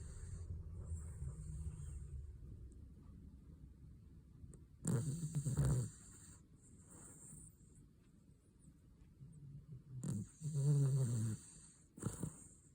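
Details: Sleeping Cavalier King Charles Spaniel snoring loudly: deep, rumbling snores with a rasping, throaty texture, coming in two strong bursts about five seconds apart over soft, steady breathing and a faint high hiss in the background.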